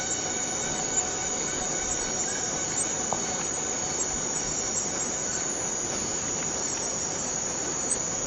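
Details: Forest cicadas in a steady, dense high-pitched buzzing drone that holds level throughout, with faint thin whistled tones and a few soft clicks beneath.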